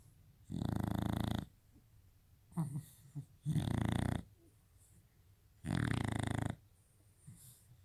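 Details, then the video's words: Shar Pei dog snoring: loud, rough, rumbling breaths in long bursts of about a second each, with a softer snuffle between them, three main snores across the recording. "Sharpei snoring"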